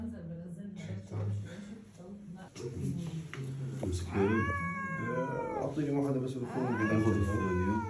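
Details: Angry domestic cat letting out two loud, drawn meows that arch up and fall away, each lasting about a second, over a low, steady murmur of people talking indoors.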